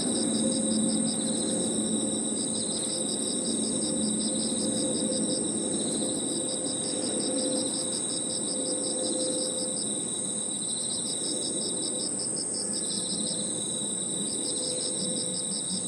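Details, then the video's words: Crickets and other insects singing together in a park in the evening: steady high trills and rapidly pulsed chirping layered in a dense chorus, over a low hum of background noise and a faint steady mid-pitched tone. "Harmonious sound of crickets and other insects 저녁 공원 풀벌레 소리"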